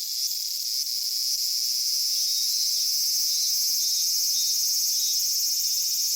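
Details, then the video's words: Cicadas singing in a Japanese summer at Michinoku Folk Village and Kitakami Tenshochi in Kitakami. An unbroken high-pitched shrill fills the clip, and faint short pulses repeat in its lower part. "夏セミの鳴き声 ミンミンゼミから夕方のひぐらしまで"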